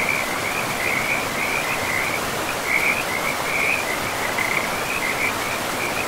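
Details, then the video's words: Frogs calling beside a river deep in a pristine, moss-covered forest. A continuous run of high, pulsing trills repeats about once per second, riding over a loud, even hiss of flowing water. "River and Frogs sleep sounds"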